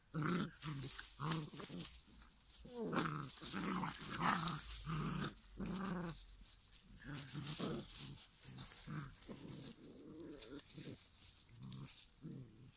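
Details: Giant schnauzer puppies at five weeks old growl in short, rough, harmonic bursts repeated roughly every half second, with brief pauses and uneven rhythm throughout.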